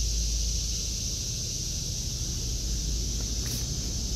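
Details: Cicadas droning in an August 2023 vegetable garden, a flat high hiss with no pauses, a brief sharp click near the end, and a low rumbling background like wind or vehicles.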